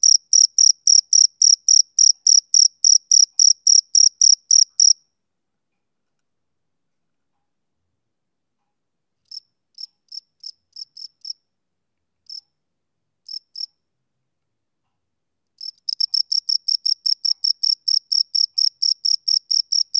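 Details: Male cricket chirps steadily in high buzzy pulses for five seconds, then goes silent apart from a few faint scattered chirps, then resumes a quick even series near the end.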